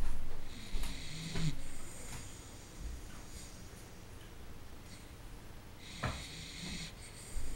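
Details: Ciro, a sleeping Dachshund, snores loudly with low, rumbling breaths that rise and fall irregularly.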